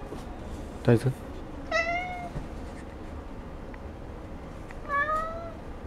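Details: Indoor domestic cat at a Sendai cat café, Japan, whose meow is said to sound like "gohan" (food): two drawn-out harmonic meows about three seconds apart, each slightly falling, after a short human voice, with low room hum.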